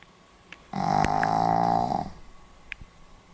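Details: Sleeping Pomeranian dog snoring, recorded 4 November 2015: one long, steady, buzzy snore lasting about a second and a half with a rich nasal drone, set in a quiet indoor room with a few faint clicks around it.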